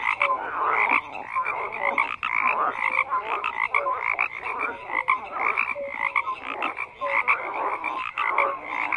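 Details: Dense chorus of croaking frogs, gravelly pulsed calls overlapping continuously, punctuated by short bright chirps.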